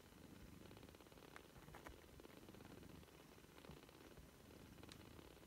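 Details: Three-week-old British Shorthair kittens purring: a quiet, steady, rapid rumbling pulse runs throughout, with a few faint clicks and rustles.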